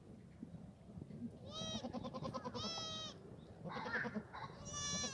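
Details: Black goats in a farm exercise yard in Gimhae, South Korea, on a foggy Friday morning, 29 March 2019; several nasal, strongly harmonic bleats in overlapping bursts, each about half a second, with a low rumble of farm background.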